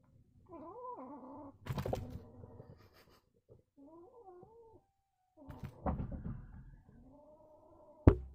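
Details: A mad male kitten gives repeated wavering, moaning yowls that rise and dip, separated by pauses. Bursts of rustling and thumping noise sound between the calls.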